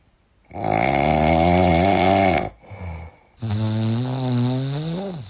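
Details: A sleeping dog snores indoors: two long, loud, rumbling breaths with a buzzy, voiced tone, the first steady for about two seconds, then a brief quieter breath and a second snore that rises slightly and fades.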